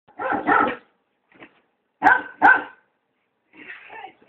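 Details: German Shorthaired Pointer, frightened by a giant squirrel balloon, gives a quick pair of short barks, then two louder sharp yelps a moment later, ending with softer whiny sounds and a faint human voice.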